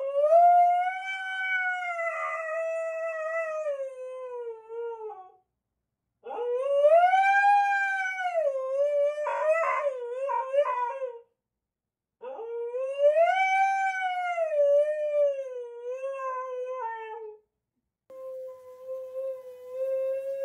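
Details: Female Husky at home howling and yelling at her owner in protest, making demands and showing she is upset; three long, wavering, tonal howls of about five seconds each, separated by short pauses, with a final shorter held note.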